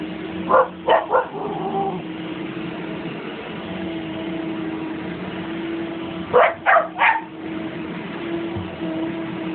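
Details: Siberian Husky vocalizing at a running vacuum cleaner: two bursts of three short, sharp bark-like yelps, one near the start and another about six seconds later, over a steady droning vacuum hum.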